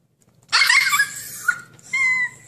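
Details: Husky puppy wanting to break out of its cage gives one harsh, noisy bark-like cry followed by a thin, steady whine; indoor room with a low background hum.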